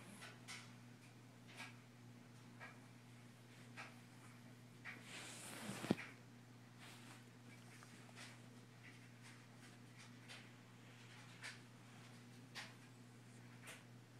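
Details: Elvis, a Russian Blue cat, snoring while asleep indoors: soft, breathy rasping puffs repeating roughly every second, quiet and regular, with a single sharp knock midway and a steady low electrical hum underneath.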